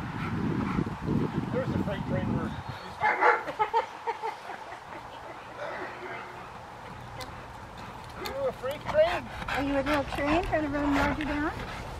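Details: Rottweiler Willie v Schwarzerwald playing in the rain with a training helper at Victoria Rottweiler Club on December 13, 2020; after a stretch of rain noise and talk, loud, rough barks and harmonic yelps come in a late burst, with people talking.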